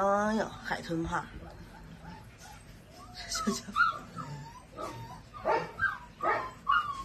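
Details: Six-day-old Presa Canario puppy, strong and hard to hold, whimpering because it wants to nurse: thin, rising and wavering squeaks in short bursts, mixed with a person talking and laughing nearby.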